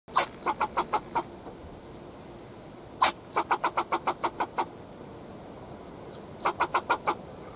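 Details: Fox squirrel barking at a person in a backyard: sharp broadband chucks in quick runs of five to nine, each burst pausing about two seconds before the next series starts.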